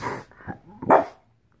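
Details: French Bulldog, female, barking in reaction to fireworks: a rough growly bark, a short grunt, then one loud sharp bark, all within about one second.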